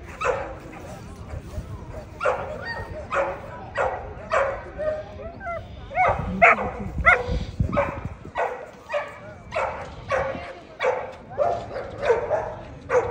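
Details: Barking American Pit Bull Terrier at a 2024 ADBA Tristate conformation show, 12–18 month females: repeated short barks at an uneven pace, briefly broken by people talking in the middle.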